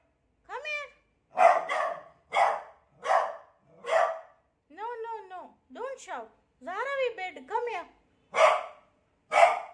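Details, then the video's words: Beagle, afraid of its new cot, mixes a steady series of loud barks with arching, whining yowls, then returns to barking. "Beagle scared of new cot"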